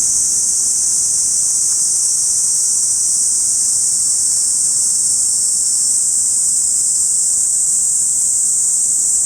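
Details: Cicada chorus heard in a Saitama City park in August, recorded binaurally: a steady, piercing high drone that never breaks, even in loudness from start to end, with only soft low background rumble.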